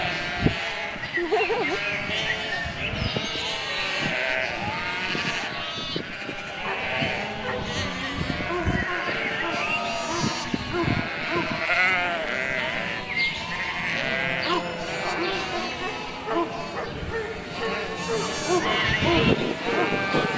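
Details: Sheep bleating in a dense, overlapping chorus of wavering, nasal cries from many animals at once, with possible human voices mixed among them throughout.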